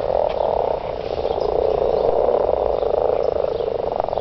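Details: Garden frogs in a mating chorus, an unbroken wall of rapid overlapping croaks holding steady throughout.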